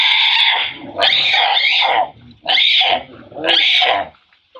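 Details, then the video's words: Monkey mother named Rana screaming loudly in fear as a big male tries to steal her mango: harsh, shrill, noisy screams in four bursts of about a second each, with short gaps between them. "Fear mother RANA is screaming loudly when big male monkey wants to steal her mango"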